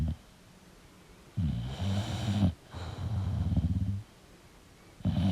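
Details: Sleeping English bulldog snoring: two long, low rumbling breaths with a rattling, buzzy texture, each lasting over a second, separated by quiet pauses, with another snore starting at the end.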